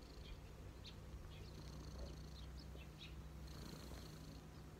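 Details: Cat purring contentedly on a lap, a deep rhythmic rumble throughout; high faint tones and brief clicks scattered across.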